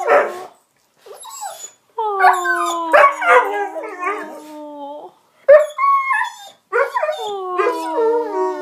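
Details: Indoor dog throwing a tantrum over his bone, which he pushed under the sectional on purpose. Drawn-out, slightly falling howls mix with choppy yips, and several pauses break the complaint.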